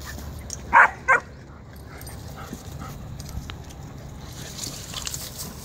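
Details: Fourteen-week-old German Shepherd puppy contesting another dog over a digging spot: two short sharp barks close together near the start, then quieter rustling and faint background noise.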